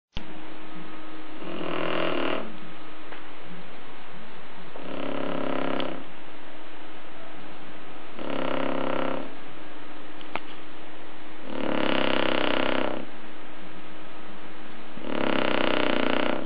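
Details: A sleeping Shar Pei dog snores steadily, five rasping, breathy snores each lasting about a second and recurring roughly every three seconds over a constant low background hum.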